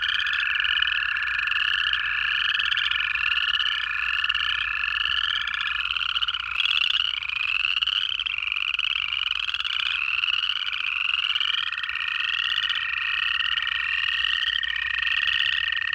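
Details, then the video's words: Wintertime frog chorus from Georgia, recorded in January: a rapid series of rising pulsed calls about once a second, stacked on a sustained lower tone. One brief dip in loudness midway. "Georgia in January: 1 Hour of Native Frog Calls"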